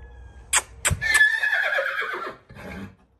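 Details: An 11-month-old colt whinnies: a loud, harmonic neigh that wavers and slides downward over about one and a half seconds, preceded by a few sharp knocks and followed by a short, softer snort-like sound.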